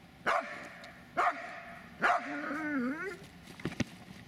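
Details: Dobermann Magmar von der Burgstätte giving three loud sharp barks about a second apart, then a long wavering whine and a faint click.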